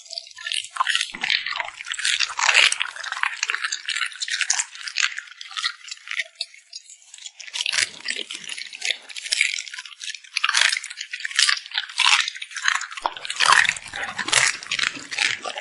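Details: A cute puppy smacking its lips while eating: dense, wet crackling clicks and squishy chewing bursts in quick, irregular runs, bright and high-pitched, with short pauses near six and ten seconds.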